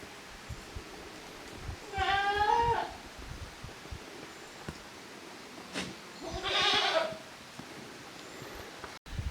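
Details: Goat kids from two families, Koharu's and Okayu's, playing together on a handmade goat farm's yard, 13 June 2023. Two separate wavering bleats about four seconds apart stand out over a quiet background with faint thumps.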